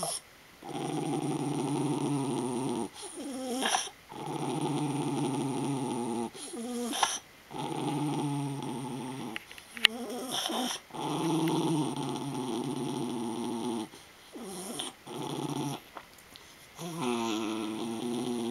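A Miniature Schnauzer gives sustained, throaty growls lasting two to three seconds each, separated by short pauses. The rumble sometimes chokes into a strained, gurgling sputter, and a faint whine shows near the end.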